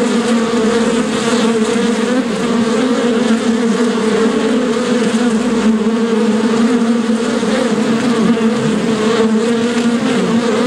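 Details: Continuous swarm-like buzz of bees, thick overlapping hum at constant loudness, low droning bands with faint wavering and no breaks.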